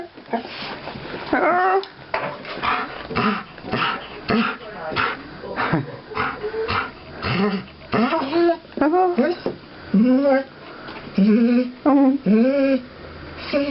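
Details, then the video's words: Older female guide dog greeting a returning visitor with happy soppy noises; a run of wavering, bending whines and moaning yips, repeated in quick bursts, over a woman talking affectionately in a small room. "Ivy making soppy noises when she greets me"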